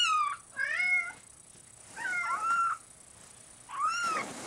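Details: Large spotted Bengal kitten meowing indoors: four bright, wavering meows, each under a second, spaced about one to one and a half seconds apart, rising then falling in pitch, with a quiet room behind.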